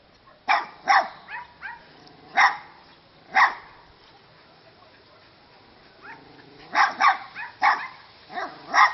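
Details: Bogi, a Vizsla, playing with a neighbour's dog that came to greet on arrival in Szarvas; short sharp barks and yips come in clusters, a pair near the start, then scattered single barks, a quiet gap, and a rapid run of barks toward the end.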